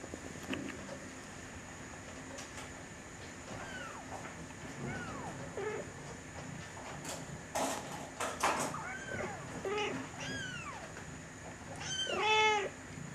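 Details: Three-week-old Bengal kittens named Aurora, recorded 20 November 2011, giving high thin mews that rise and fall, several in a row, with a louder harmonic-rich cry near the end; a faint steady whine and rustling underneath.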